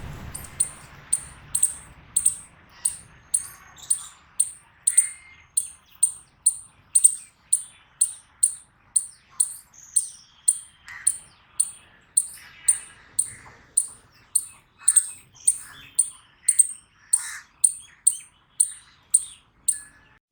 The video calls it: Eastern Chipmunk Voice Sound Effect Video By Kingdom Of Awais